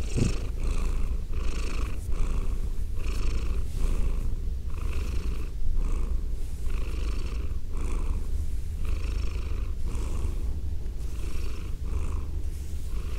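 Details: Female domestic cat purring, recorded binaurally: a steady low rumbling purr throughout, with soft breathy pulses repeating roughly every 0.7 seconds.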